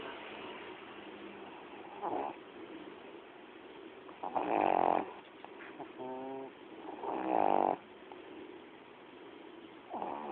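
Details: A female pet dog snoring while asleep: soft, throaty snores recurring every two to three seconds, a few louder with a buzzing, rattling tone, over quiet room hiss.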